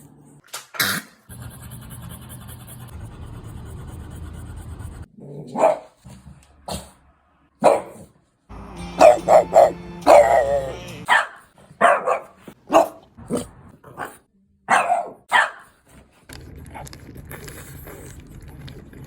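A French Bulldog lets out a string of short, rough barks and higher yips in quick, uneven bursts. A low steady hum fills the quieter stretches at the start and end.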